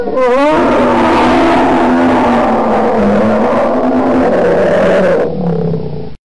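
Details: Bear letting out one sustained, gravelly roar of about five seconds that starts with a rising snarl, stays rough and loud, then eases into a quieter low growl.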